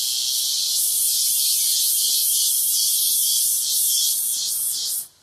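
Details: Cicadas singing in a rural area of Brazil: a dense, continuous high buzzing hiss with rhythmic pulsing throughout, cutting off abruptly near the end.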